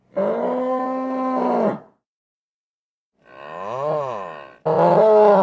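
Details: Nervous bull bellowing: a sustained deep moo held for over a second, a wavering drawn-out groan that rises and falls in pitch, then the start of another loud harsh bellow.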